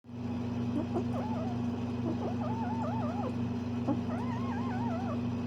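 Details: A Bengal cat, possibly a kitten at play, gives a run of wavering, warbled chirps and meows over a steady mechanical hum.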